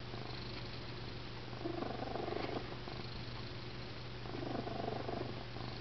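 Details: Domestic cat asleep on a suitcase, snoring very loudly after some bopping: soft, raspy breaths swell twice, each a second or so long, over a steady low indoor hum.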